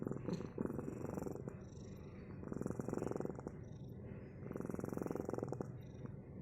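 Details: Steady low purring from a domestic cat, pulsing in waves as it breathes in and out roughly every two seconds, close and continuous against a quiet indoor background.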